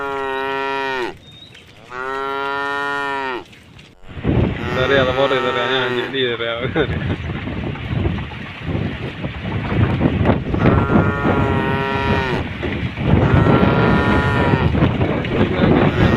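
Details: Tame cow crossing a puddle on a forest-edge road: two loud, steady moos, a wavering third, then a stretch of rough splashing and rumbling noise with further moos rising out of it near the end.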